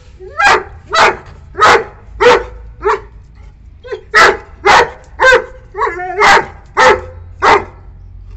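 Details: Saint Bernard puppy, 9 months old, barking angrily to drive a visiting wild cat away from the property boundary; loud harsh barks about every half second, a run of eleven with a brief pause near the middle.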